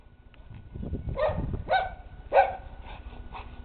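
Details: Dog by a swimming area barking three clear times about half a second apart, then softer fading barks, over low splashing and rumbling noise.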